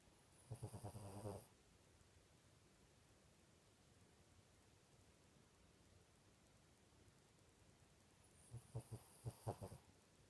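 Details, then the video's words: Sleeping pet dog snoring, two short bursts of rhythmic low rasping pulses near the start and end, separated by long quiet stretches of faint room hiss. "Snoring dog"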